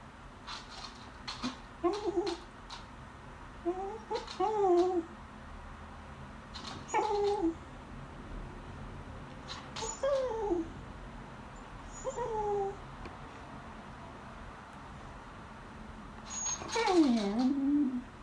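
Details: Female beagle staring at people eating lunch and begging at the table indoors. Repeated short whimpers and squeaky cries come every second or two, ending in a longer, wavering whine that dips down.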